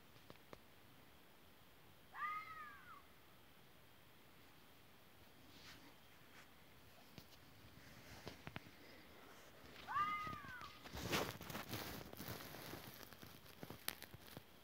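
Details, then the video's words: Fox giving two arched, wavering cries several seconds apart, each a brief rise and fall. Scattered clicks follow, then a burst of broadband rustling noise near the end. "EL CANTO DEL ZORRO"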